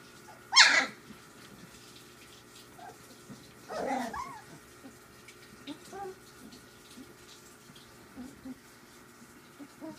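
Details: Three-week-old puppies from Ziva's litter playing together: one sharp, loud yelp near the start and another burst a few seconds later, then scattered soft squeaks over a faint steady background hum.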